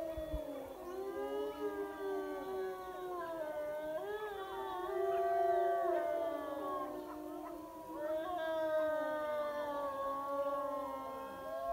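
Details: Wild wolf pack howling in chorus by a high mountain lake after being called in. Many voices overlap in long, drawn-out wavering howls, swelling louder in the middle and again near the end, with faint yips woven through.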